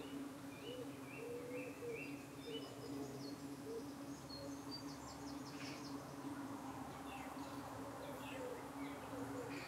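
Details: Honey bees at a hive in the UK on an evening, defending themselves as parasitic flies dart in to settle on their abdomens; a steady low droning hum runs throughout, with faint bird chirps and whistles above.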